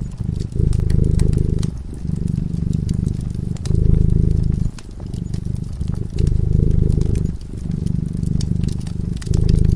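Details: A cat sleeping in front of a crackling fireplace purrs steadily: a deep, low rumble that swells and pauses with each breath, roughly once every second or two, with sharp pops and crackles from the fire throughout.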